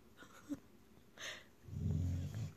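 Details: A female Weimaraner, who woos instead of barking, gives a low, drawn-out woo after a brief burst of human speech.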